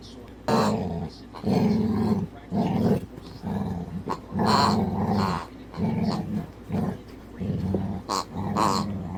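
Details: Pet dog softly growling at his squeaky toy pig whenever it makes noise; low rumbling growls in repeated bursts of about a second, mixed with a person talking encouragingly and occasional squeaks.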